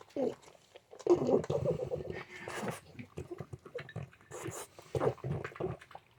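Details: A male French Bulldog makes rough, pig-like grunts, snorts and wheezy moans in bursts, with a voice nearby; the owner says he wakes to this every morning.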